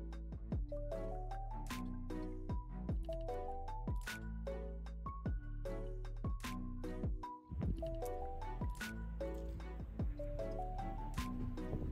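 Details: Melodic instrumental music of plucked, chiming notes in rising and falling runs, with no animal voice heard.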